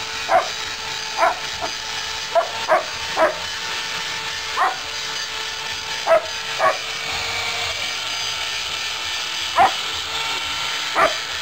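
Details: German Shepherd playing rough, giving about a dozen short, sharp barks at uneven intervals, some in quick pairs, over a steady loud hiss of background noise.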